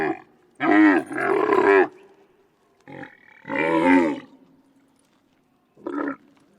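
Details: Camel grunting loudly outdoors, with throaty, gurgling groans of about a second each, a faint low drone between them and a short final grunt.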